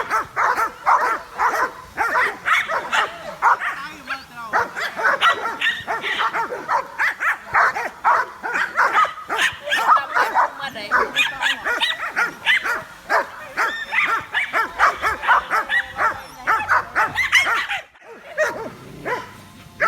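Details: Several curious dogs watching a drone in the sky bark excitedly, a dense run of sharp overlapping barks and yips roughly twice a second, with human laughter and chatter mixed throughout and a brief lull near the end.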